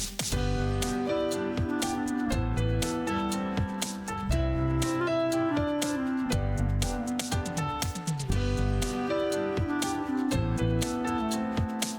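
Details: Gentle plucked acoustic guitar music plays steadily throughout, with no animal voices audible.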